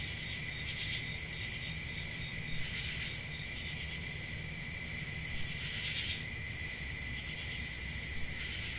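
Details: Summer-night crickets in the countryside, an even shrill trilling chorus punctuated by short, brighter chirp bursts roughly every two to three seconds, with a low steady hum underneath.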